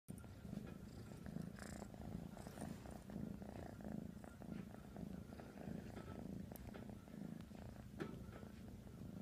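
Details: Black kitten purring steadily while kneading on a pillow indoors, a soft low continuous rumble pulsing in quick regular beats, with faint rustling of fabric.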